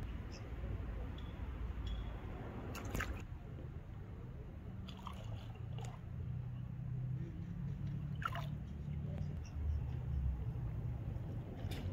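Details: Low, rumbling water noise with scattered clicks and splashy, squishing sounds, but no animal call.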